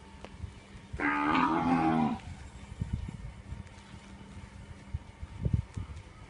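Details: A Punganur cow lows once for about a second, a wavering harmonic moo, followed by low thumps and background noise.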